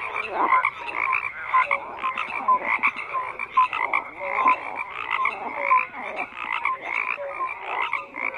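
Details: Frogs croak in a dense chorus: overlapping rasping pulses stacked with short tonal notes repeating roughly every second, many callers at once, no other sounds standing out.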